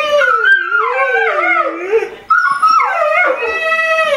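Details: A pack of pet dogs, among them Golden Retriever Trigger and Irish Setter Spencer, howls in unison as if imitating coyotes. Overlapping, weaving howls rise and fall in pitch, pausing briefly midway before swelling again.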